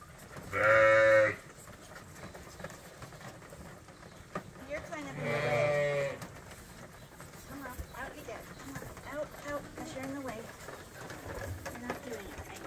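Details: Farm lambs being trained to drink from a bottle in a holder: two loud, quavering bleats a few seconds apart, then softer murmuring calls and shuffling noise.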